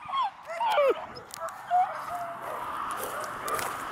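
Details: Beagle puppy, a female, baying loudly and wanting to play with other puppies in Stevensville, Montana; a few short, bending yelps and whines in the first two seconds, then fainter background noise.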